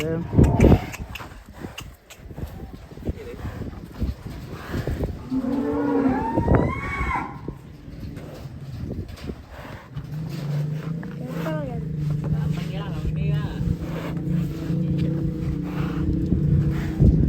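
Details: Cattle filmed with a child riding one: after a stretch of people talking, a long, low, steady moo drones for several seconds near the end, with voices continuing over it.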